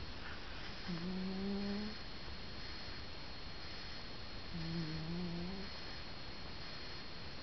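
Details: Sleeping grey cat named Stan gives two drawn-out, low, buzzing snores roughly three and a half seconds apart, each slightly rising in pitch, against faint indoor background hiss.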